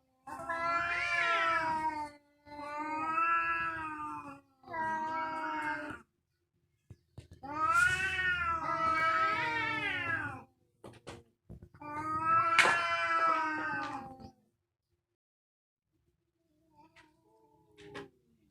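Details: Fierce domestic cats fighting, recorded for real: long, wavering, harmonic yowls rising and falling in drawn-out bursts of about two seconds, five main bursts separated by short silences, ending with faint low murmurs.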